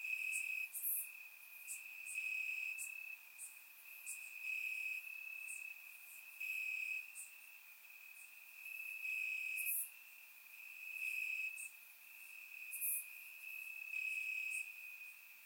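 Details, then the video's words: Night chorus of crickets in Bulgarian grass on a warm summer evening, surround-mic recording; a continuous high-pitched trill swells and fades in bursts of a few seconds, overlaid by sharp high clicks at irregular intervals. "Cricket Sounds - Crickets Chirping at Night"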